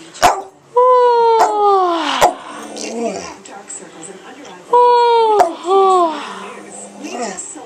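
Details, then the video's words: Samoyed doing tricks, then 'singing' in two drawn-out, harmonically rich howls that slide gently downward, each about a second and a half long and separated by a pause, with short tapping sounds and a person's voice nearby. "Samoyed singing happy birthday"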